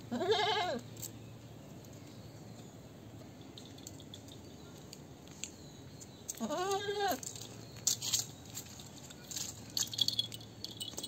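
A goat gives two wavering, nasal bleats several seconds apart, each rising and falling briefly.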